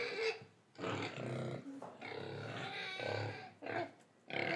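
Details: A pig in Indonesia gives rough, throaty grunts and squealing oinks in several uneven bursts.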